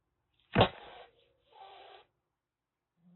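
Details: Rescued kitten in a Kagoshima shelter, taken in just before a typhoon, hissing in threat: one sharp, explosive broadband spit followed by a fainter, breathy hiss, then a second airy hiss about a second later, with a quiet room otherwise.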